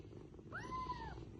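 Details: Little kitten asking its mother to be picked up: a single smooth meow that starts with a quick rise, holds steady, then slowly sinks, with faint low hum underneath.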